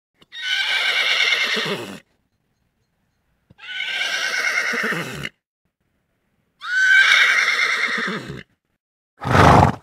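A horse whinnies three times in long, quavering neighs, then gives a short, harsh snort.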